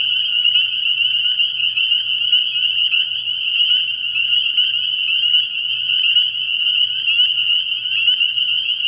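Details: Spring peepers in a dense night chorus at a frog pond early in the year, countless high piping peeps merging into a continuous ringing wall of sound, with a faint low hum beneath.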